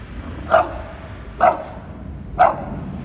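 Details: Bulldog giving three short, sharp barks spaced about one second apart, each a brief harmonic burst, with a faint steady background hiss between them.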